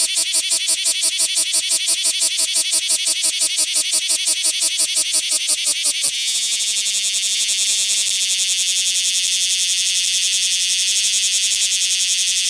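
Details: Rokko Island Greenbelt cicadas, Cryptotympana facialis: fast rhythmic shrill pulses for about six seconds, then a sudden shift into a smooth, unbroken high-pitched buzzing drone that carries on to the end.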